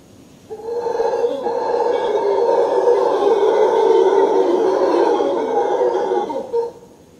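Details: Howler monkeys give a morning wake-up roar at a tropical beach in Manuel Antonio: a long, droning chorus that swells and rumbles steadily for several seconds.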